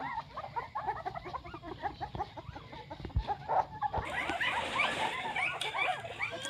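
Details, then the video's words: Nine newborn puppies give many short, high squeaky whines in quick overlapping bursts, growing busier and shriller after the first few seconds, with a soft human voice nearby. "Nine puppies was born"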